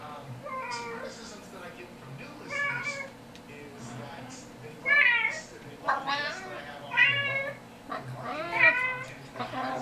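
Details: Kitten cries from a recording played for household cats indoors: a string of high, wavering mews that grow louder and closer together toward the end, with a steady low hum underneath.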